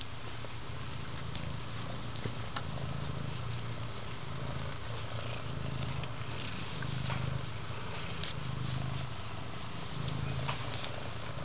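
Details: Siamese cats, a litter of two-week-old kittens named Lindt, Peeps and Moonstruck with their seal point mother Tasa, moving about, licking, biting and wrestling indoors; a low, steady purr throbbing in slow, even pulses throughout, with faint soft rustles.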